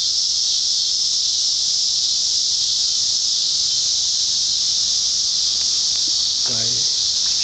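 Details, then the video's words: In summer in Sugar Creek, Missouri, a cicada gives a loud, steady, high-pitched buzzing drone that never breaks, heard in a garden, with a brief human voice near the end. "You can hear this cicada"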